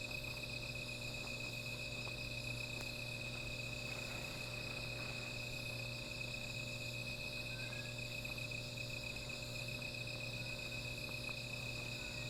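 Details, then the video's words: Insects calling at night beside a small fire: a steady, unbroken high-pitched chorus of several overlapping shrill bands, over a constant low hum, with a few faint ticks and crackles. "Sound of Insects"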